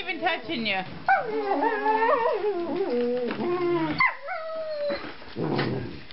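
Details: Kirby and Hoover, two young male Treeing Walker Coonhounds aged four months, let out stepped, wavering howls and whimpers that drop in pitch, broken by brief noisy bursts near the close.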